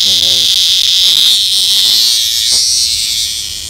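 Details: Close-up of an annual cicada that Henry MinPin the dog caught, giving a loud continuous shrill buzz throughout, steady and droning with slight wavering and a faint fade near the end; a few spoken words at the start.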